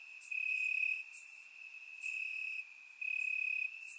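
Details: Crickets chirping in the grass on a warm summer night in Bulgaria, recorded with a surround microphone: a steady, high, shrill trill holds one pitch throughout, swelling into louder pulsed stretches roughly every second, with brief hissy higher bursts above.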